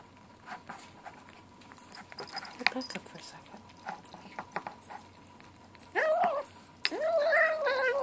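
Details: Seven-week-old gray kitten calling at lunchtime: rustling, clicks and soft chewing noises first, then two short rising-falling mews near the end, after a person tells the kitten to give its brother a turn.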